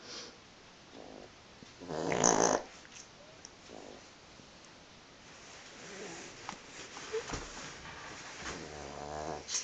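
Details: Sleeping pug snoring and twitching indoors: a loud rough snorting burst near the start, then quieter irregular breathy snores and snuffles, ending with a buzzy harmonic snore.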